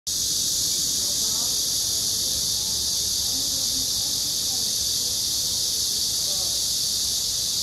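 A Korean giant cicada gives a loud, steady, high-pitched buzz that never breaks.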